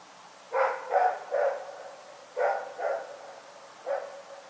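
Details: Night barking from Rex, a dog at Pyrga, with three rapid barks, a short gap, two more barks, and one final bark, each short and punchy with a faint background hiss.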